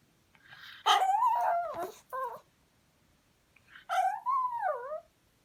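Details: Pet dog begging to be given beef: loud, quavering whines, a longer wavering cry then a short one, a pause, and two more falling whimpers.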